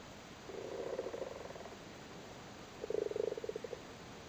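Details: Male Irish frogs on their spawn in a flooded cattle grid in Cork during breeding season: a soft grumbling purr swells and fades, then a sharper rapid rattle of pulsed croaks after a brief quiet gap.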